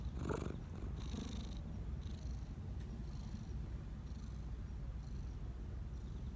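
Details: Black Persian park community cat in Japan, happily purring as it is stroked and fussed over; an even, deep rumbling purr with a soft breathy snuffle at the start and faint rustles recurring about once a second.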